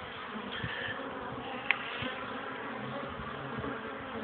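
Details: Pollen-carrying honey bees at the hive entrance, struggling to land in a cold wind under sunshine, 12 degrees at 1 pm, 21 April 2013; a steady, full buzzing drone with brief higher whines and a single sharp click.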